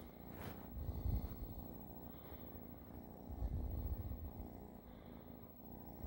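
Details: Cat purr as a deep vibrating drone, with louder surges near the first and fourth seconds that follow the breathing cycle, plus a brief rustle at the start.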